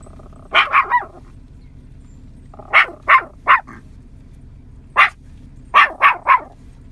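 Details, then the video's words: Sharp yapping from a 9-month-old Yorkshire Terrier calling in cows across a field. Barks come in rapid clusters of three, with pauses of one to two seconds between clusters, nine barks in all, over a faint low hum. "Adorable Yorkie preaching to and calling in the cows !"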